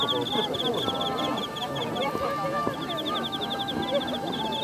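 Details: Cricket chirps in quick, high, rhythmic trills against busy low background sounds at a cosmos flower festival in Mima, Japan, on 3 November 2013.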